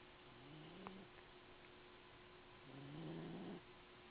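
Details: Sleeping cat snoring in a box, recorded in 2008: two low droning breaths, the second longer and louder, rising slightly, with a steady background hum.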